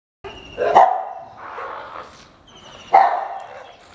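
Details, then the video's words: Dog barking aggressively while protecting its territory: two loud, harsh barks about two seconds apart, each followed by a fading rough tail, in an otherwise quiet setting. "Aggressive Behaviour of DOG."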